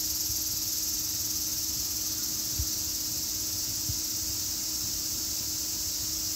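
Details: High, even cicada buzzing that drones on without pause, slightly softer, over a faint low hum with occasional dull thumps.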